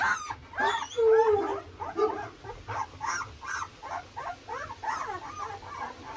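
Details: Presa Canario puppies about thirteen days old, on a rural farm, crying from hunger while the mother is urged in to them: a rapid series of high, short whimpering yelps, several pups overlapping, repeated a few times per second.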